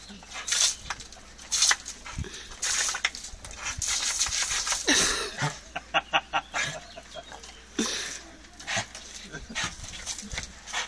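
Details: Dog, female, playing with a hose pipe: a rapid run of about six short, tonal yips amid steady hissing spray and broadband splashing noise, with a few more faint barks later.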